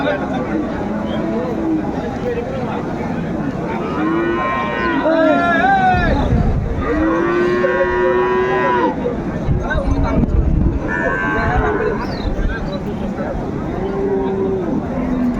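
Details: Sahiwal bulls, young animals of about 7 to 10 months, at a Bangladeshi cattle market on 27 May 2024. Several drawn-out, rising-then-falling moos overlap one another against a steady crowd din and voices.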